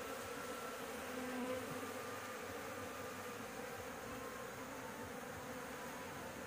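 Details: Honey bees at a nest on a house roof, disturbed during a honey harvest while being driven away from the comb; a steady, dense droning hum with low tonal bands that holds evenly throughout.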